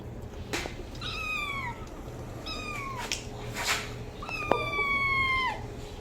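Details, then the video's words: Cat meowing three times, each a bright harmonic cry that rises briefly then falls, the last one longest, with soft thuds and a faint steady hum in the background. "Cat meowing sound effect compilation"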